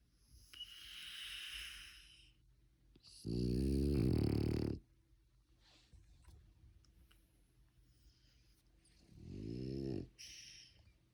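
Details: A sleeping French Bulldog snores with loud, rattling, low breaths separated by quieter airy exhales.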